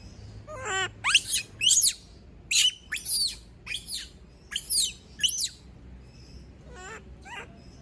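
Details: A female monkey left alone by everyone cries out in about nine piercing, downward-sweeping screams in close succession. Lower, broken harmonic calls come near the start and again toward the end.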